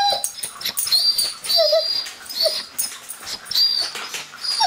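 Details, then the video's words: Sirius, a pet Doberman, whining: short high tonal whines, some sliding down, broken by breathy noisy gaps and bright upper overtones throughout. "Doberman makes whale sounds!"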